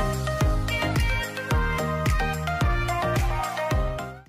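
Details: A short, bright musical jingle with tinkling melodic notes over a bouncing bass beat, which cuts off abruptly at the end and holds no animal sounds.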